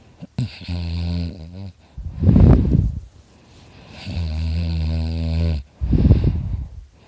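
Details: Dakota, a pet dog, asleep and snoring very loudly: two long, low, droning inhalations with a buzzing tone, each followed by a rougher, breathy exhalation burst, repeating about every three and a half seconds.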